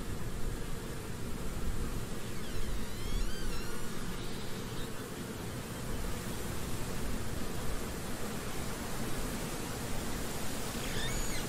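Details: Continuous low buzzing of a European hornet, an even droning hum throughout, with faint bird chirps briefly audible in the background near the start and again near the end.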